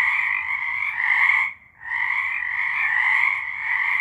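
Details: Frogs singing in March 2023: a dense, continuous chorus of overlapping trilled croaks in two bright bands, with a brief hush at about 1.7 seconds before the chorus swells back.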